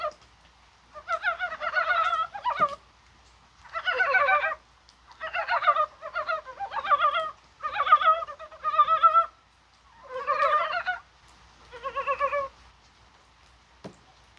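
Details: Korean brown frogs calling on a rainy, spring-like January 21st: bursts of rapid, clucking, pulsed croaks, each about a second long, from several overlapping frogs, separated by short pauses, with a faint hiss of rain.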